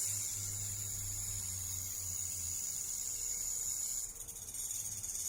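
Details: Venomous rattlesnake vibrating its tail tip at great speed, giving a sustained high, sizzling buzz like shaken maracas, steady throughout with a brief flutter and dip near the end; low rumble underneath.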